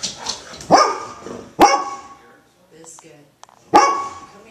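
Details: A female Golden Retriever, worked up and angry, gives three short, dull barks, muffled because she barks into her blanket, with a person talking nearby.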